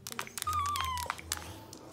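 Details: Puppy crying at its own reflection: a single thin, high whine lasting about half a second, held nearly level then sliding slightly downward, amid scattered sharp clicks and taps and a low steady hum.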